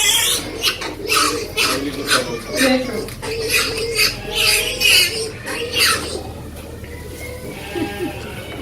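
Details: Mother pig and piglets in a very noisy family group, with rapid high-pitched piglet squeals in repeated bursts about once a second, fading after six seconds to lower grunts and a few wavering squeaks.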